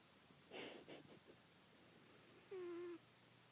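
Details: Pet cat described as fat, lying under a bed; a few soft rustling bumps, then one short level meow near the end over low room hum.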